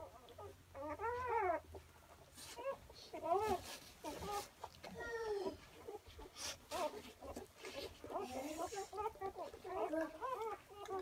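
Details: German Shorthaired Pointer puppies about six hours old give thin, whining squeals that rise and fall in short bursts.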